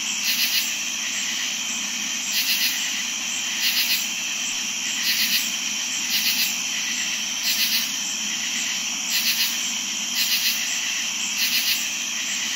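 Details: Crickets trilling steadily at night in summer, with several katydids calling; sharp buzzy katydid bursts repeat about every one to one and a half seconds over a constant shrill cricket background.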